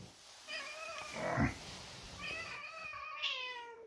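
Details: Domestic cats, excited over cat food, meowing indoors: two drawn-out, tonal meows with rich harmonics, the second rising then slowly falling over about a second and a half, with a brief noisy thump between them.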